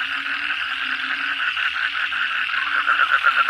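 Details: Kodok bangkong frogs calling together at night after heavy rain, a dense chorus of rapid pulsed croaks repeating about every third of a second, with a steady low hum beneath.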